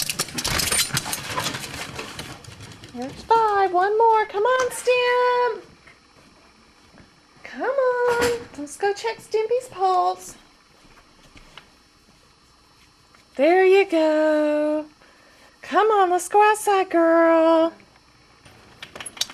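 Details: Boston Terriers at lunchtime, being called and let outside: four bursts of wavering, high, whine-like vocalizing with bending pitch, each one to two seconds long, separated by quiet gaps, with clatter at the start.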